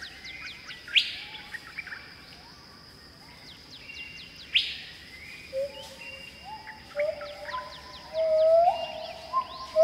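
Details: Pileated gibbon singing in Khao Yai National Park, Thailand. In the second half, sliding notes rise from low to high, ending in a loud, sustained upswept phrase. Earlier, sharp bird chirps and whistles dominate, with a constant high insect drone behind.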